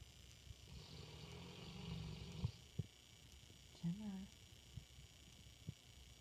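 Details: Gemma, a female English Mastiff, snoring while asleep in a dark room at night, sounding like a man snoring: a drawn-out low rumbling snore for about two seconds, then a short rising voiced sound and faint scattered clicks.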